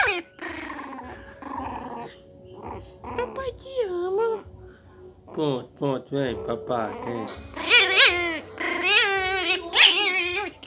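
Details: One-month-old miniature pinscher puppy, about 300 grams, indoors, acting fierce: squeaky, high-pitched wavering growls and yelps building in the second half, with a man talking affectionately throughout.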